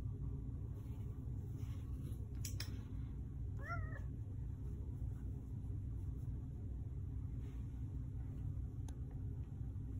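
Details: A male Manx cat, trained to meow on the cue "more?", gives a single short rising-then-falling meow when asked if he wants more pets, over a steady low hum.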